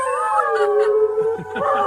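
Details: A Siberian husky, prompted by a baby's sound, gives a sustained, mournful howl that slides down and then holds a steady pitch.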